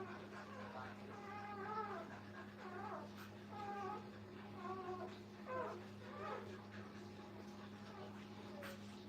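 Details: Brittany puppies with their mother at a kennel, heard indoors: a series of thin, wavering whines that rise and fall, coming in short clusters through the nine seconds over a steady low electrical hum.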